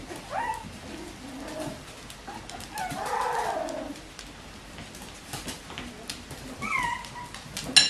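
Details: Bichon Frisé puppies from litters O and P at a small Danish kennel, giving soft high whimpers: short tonal squeaks early, a louder wavering whine near the middle, and a few more thin cries near the end over room noise.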